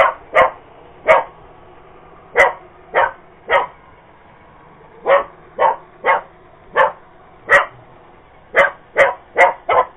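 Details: Cocker Spaniel confronting a robot vacuum, barking persistently: about fifteen sharp barks in uneven clusters, some paired, others in runs of three or four, with light clicking between.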